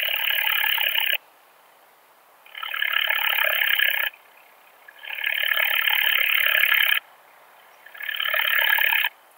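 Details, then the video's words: Steppe bush-cricket recorded in Austria at Siegersdorf on 15 June 2020, ultrasound detector in use: regular rasping buzzy bursts of roughly one and a half seconds, alternating with short silences, four phrases in steady rhythm. "Montana montana -- Steppen-Beißschrecke -- Steppe Bush-cricket"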